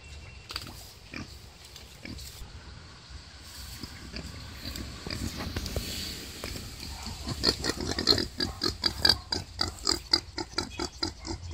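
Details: Wild boar during the birth of five piglets; quiet scattered clicks and rustling at first, then from about seven seconds a quickening run of loud, short, rasping grunts and squeals.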